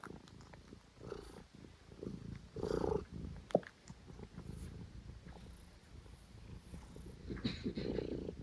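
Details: Stitch, a pet cat, purrs loudly while having hiccups: a steady low rumbling purr throughout, broken by brief sharp hiccup-like bursts near three and a half seconds, with breathier swells around three and eight seconds.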